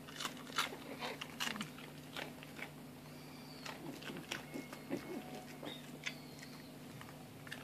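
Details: A plump Shiba Inu happily munching a rice cracker inside, sharp crackling crunches and chewing clicks in quick clusters, some faint squeaky tones, over a constant low electrical hum.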